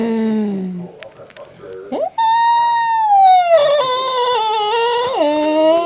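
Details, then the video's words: Cat's strange sound: after a low, brief moan and a short pause with faint background noise, a sudden loud drawn-out wail begins, holding steady, then wavering and dipping in pitch near the end. "Cat's strange sound"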